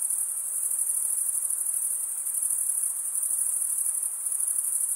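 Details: Crickets chirping as males rasp a wing edge across the toothed vein of the other wing. The result is a constant, thin, very high buzzing trill, gently wavering in volume.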